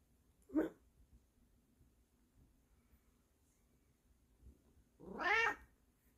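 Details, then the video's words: Indoor Bengal cat calling to wake its owner: a brief sharp chirping meow, four seconds of near silence, then a louder, longer wavering meow. "The Return Of The Furry Alarm Clock"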